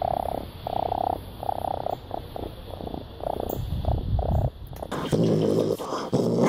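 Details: Raccoon; purr; contentment, when feeling happy and safe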